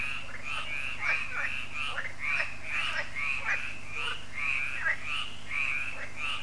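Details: Evening frog chorus at a lake in France, Lac de Sabatte, as solar lights come on; harsh, quacking croaks pulse in quick succession from several frogs, layered over a steady low-pitched hum.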